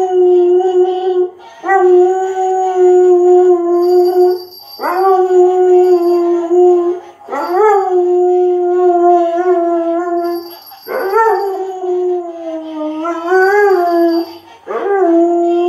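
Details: Dog howling along with a Christmas singing toy; long sustained tonal howls, each starting with a rising slide then holding steady or wavering, repeated about every three seconds, with faint high jingling music from the toy.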